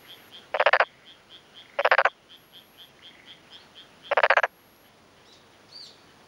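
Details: Male black-spotted pond frog, vocal sacs puffed, gives grating, rattling croaks a second or two apart, answering another nearby male from a flooded, tilled rice paddy. Rural Tokushima-cho, Yamaguchi, Japan, afternoon of 2 May 2011, breeding season. Faint high chirps behind.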